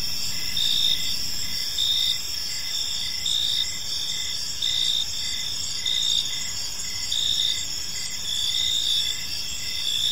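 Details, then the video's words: Park crickets at evening, chirping gently in a dense high-pitched chorus; pulsed trills recur roughly every second above a quiet rumbling ambience. "Cricket Sounds in a Peaceful Park"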